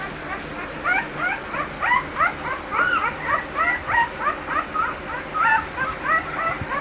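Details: American Bully dogs kept at a breeding kennel yip and whimper together in a dense, rapid stream of short pitched cries, several voices overlapping without pause.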